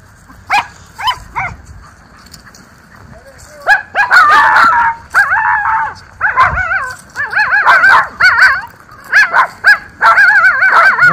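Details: Two Miniature Schnauzer brothers in their autumn yard in October 2024 bark at the neighbours: a burst of rapid, overlapping high yips and barks, with excited barking building in loudness and a person calling to them.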